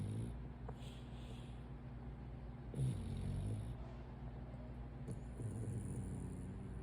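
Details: Brachycephalic French Bulldog napping during the day, snoring in low, rumbling harmonic breaths that swell and fade, one louder snort near the middle, with a faint high-pitched tone coming and going in the background.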